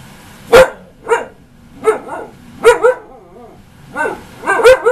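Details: Ankita, a nearly one-year-old female husky, barks at her owner during a stubborn argument: about eight sharp yips and barks spaced roughly half a second to a second apart, some trailing into short wavering moans.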